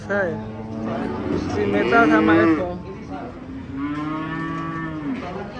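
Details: Cattle lowing in two long, drawn-out moos, the first swelling to a loud, strained bellow before fading, the second steadier and lower, with faint background murmur.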